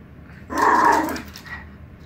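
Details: Lilly, a female miniature pinscher, growls while wanting to play with squirrels: one short, tense, tonal growl of under a second that swells and fades, followed by a faint brief trailing note over a low background hum.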